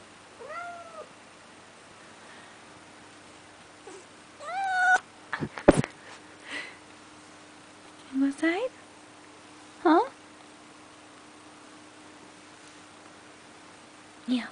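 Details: Pet cat Neo, dusted with snow and wanting outside, lets out scattered meows, some short and rising, mixed with a person speaking, a sharp bang and rustling indoors.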